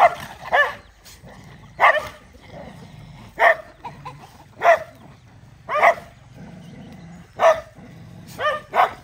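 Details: Dogs eating rice and playing with food give short barks repeated about every one and a half seconds, each a sharp broadband burst with strong mid harmonics, quiet gaps between them.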